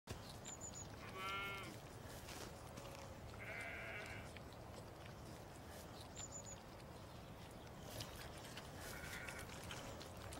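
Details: Baby lamb being bottle fed by an English springer spaniel: three short, quavering, harmonic-rich bleats spaced a few seconds apart, fairly quiet over steady background noise, with faint high bird chirps twice.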